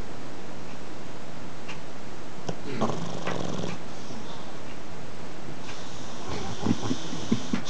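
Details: Sleeping pug snoring indoors: low, raspy rumbling breaths near three seconds, a quieter stretch, then short wheezy snorts toward the end over a steady background hiss.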